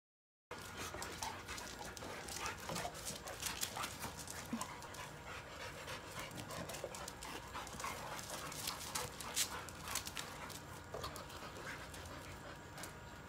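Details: Molly, a pregnant Boxer on day 7 of the first week, playful but tiring easily after romping with other dogs, pants in quick, breathy, broadband puffs repeated steadily throughout, with faint outdoor background hiss.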